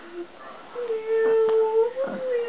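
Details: A cat among five playing together with a single toy indoors gives a drawn-out, steady meow lasting well over a second, wavering slightly and lifting in pitch near its end, preceded by a short, separate note.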